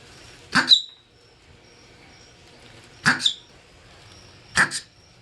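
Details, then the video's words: Three abrupt, piercing marmot calls, each split into two rapid bursts, the first with a brief whistled tail, separated by pauses of roughly one and a half to two and a half seconds. "MARMUT SOUND EFFECT 마멋 울음소리"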